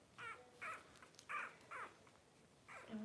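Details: Twelve-day-old blenheim Cavalier King Charles Spaniel puppies from a litter of five, born to Paris and Spike at New Year 2023, give a quick series of about five short, harmonic squeaks and whines, evenly spaced, against a quiet background.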